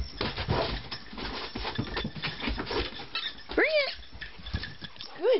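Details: Pet Siberian Husky named Turbo, a male, performing learned tricks indoors; two short arched whining yelps with rising then falling pitch and bright overtones near the end, following shuffling, handling noise and a man's encouraging voice.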